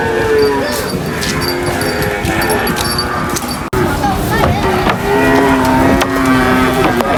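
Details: Cow being unloaded from a truck at a market, giving long, steady, low moos at the start and again from about five to seven seconds, over busy market noise with people talking nearby.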